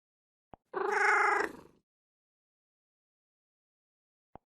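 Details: Domestic cat giving one level, slightly pulsing meow of roughly a second, tailing off softly; a short click comes just before it and another sounds after a long stretch of silence.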